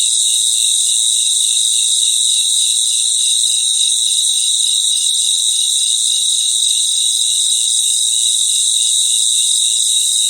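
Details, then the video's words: Night chorus of crickets outdoors: several overlapping shrill trills hold a constant high buzz, joined by an evenly pulsing lower chirp about three times per second for the whole stretch. "Relaxing Sounds of Crickets"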